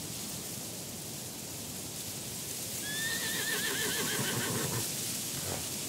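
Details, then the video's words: Wavering, high whinny from a black horse walking past in a mountain landscape, rising in and quivering for about two seconds midway, set against constant breezy wind noise. "Horse Sounds"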